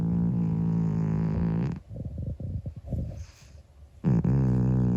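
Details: Monkey, a 25-year-old calico cat, snoring loudly while asleep: long droning low buzzy breaths with strong harmonics, a broken fluttering stretch in the middle, then the loud steady drone returning.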